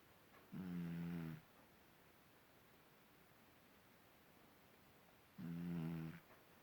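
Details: Sleeping pet cat named Marisabel snoring indoors: two low, droning snores with a steady buzzy tone, each lasting under a second, about five seconds apart, with quiet room hush between.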